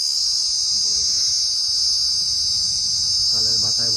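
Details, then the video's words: Cricket perched on a palm frond, giving a very loud, unbroken, shrill ringing trill that holds an even pitch throughout. A short murmur of a human voice comes near the end. "ঝিঁ ঝিঁ পোকা র ডাক"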